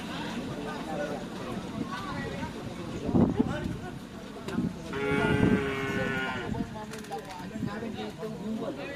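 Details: Lowing cattle during karapan sapi bull-race practice at the Asemanis ground, Pamekasan. Two sustained harmonic moos are heard, one near the middle and one later, amid busy talk, shouting and clattering crowd noise.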